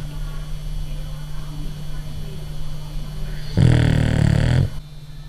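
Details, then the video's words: A sleeping, jiggling French Bulldog snores, with a low steady drone broken by one loud, rough snort. "Cute Dog Snoring - French Bulldog"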